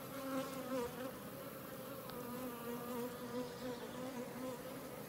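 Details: Western honey bee workers emerging: a clear, steady buzzing hum with wavering harmonic bands, swelling and fading slightly as individual bees move close, over a faint background hiss.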